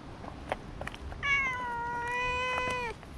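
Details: Stray cat on a walking path, with other cats gathering while one is petted; a single drawn-out meow lasting under two seconds, held level and then dropping at the end, against faint background noise.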